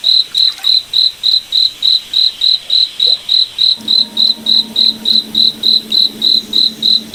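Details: Forest cricket at night chirping in a fast, even rhythm of bright high pulses, a soft low hum rising underneath partway through.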